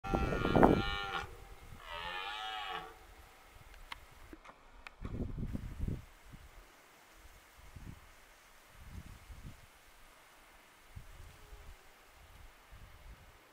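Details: A red deer (Cervus elaphus) stag gives deep, rough rutting roars during the autumn 2023 rut, then quieter grunting calls follow.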